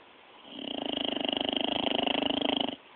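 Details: A dog asleep, recorded on a mobile phone, gives one long, fluttering snore lasting about two seconds, made of rapid rattling pulses with a breathy rasp, set against faint background hiss.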